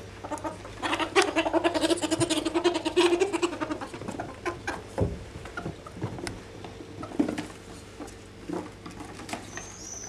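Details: Two ferrets rolling over each other to assert dominance; dense clucking chatter for the first few seconds, then scattered soft clicks and scuffles over a faint hum.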